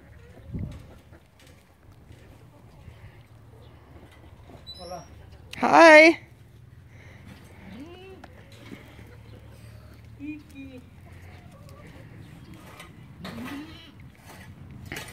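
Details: Young goat kids; a single loud, quavering bleat rises sharply mid-recording, surrounded by quiet murmured voices, soft rustling and a few faint higher cries.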